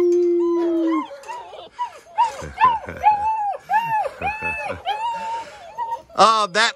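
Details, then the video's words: Ten baby black German Shepherd puppies keep howling. One held note gives way to a jumble of short, arching, whimpery howls from several pups, then a final burst of sharp, high yelps. "Ten HOWLING baby black German Shepherd Puppies!!!"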